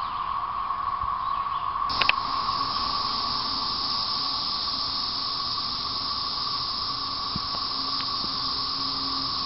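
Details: A dense chorus of 13-year periodical cicadas in 2011, late April to end of May, makes a steady, unbroken droning hum with a harsh hiss over it.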